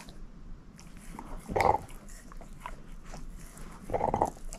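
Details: Moose, a female shepherd mix dog, gnawing a bone indoors: soft crunching with two louder bursts of biting near the middle and end, low rumbling handling noise between them, no talking.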